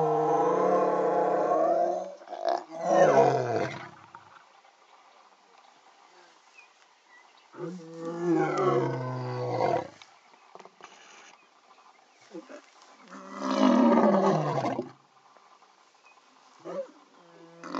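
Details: Two male lions giving early morning calls; deep, throaty roars in three long bursts separated by pauses, each sweeping downward and rasping, with shorter grunting fragments between them.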